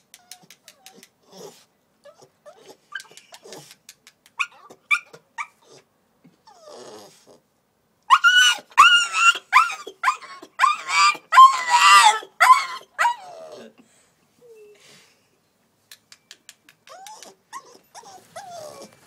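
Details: Male puppy Coco-T crying after being put outside following a toilet accident: soft scattered whimpers and yips, then a loud burst of rapid, high, strained wailing cries for about five seconds, fading back to quiet intermittent whines.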